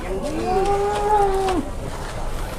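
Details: Cattle at the Muntilan livestock market in Indonesia, described as super jumbo and being haggled over for sale. One drawn-out low moo lasts about a second, holds steady, then drops away at the end, with market chatter behind.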